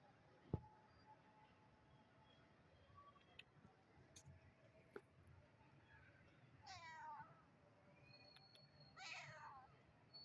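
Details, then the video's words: Kitten in a quiet room giving two wavering, harmonic meows late in the stretch, after faint clicks and ticks. "Cute Cat Meowing 😺 Adorable Kitty Sound"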